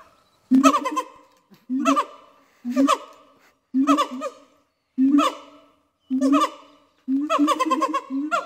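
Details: A Siamang family at Dubbo Zoo sings: loud, rich, hooting barks about once a second in a steady series; the female starts the call, the male finishes it, and it marks their territory.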